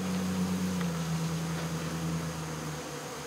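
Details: Swarm of honey bees during removal from local baseball fields: dense continuous low buzzing drone, strongest at first then easing slightly, with steady background hum.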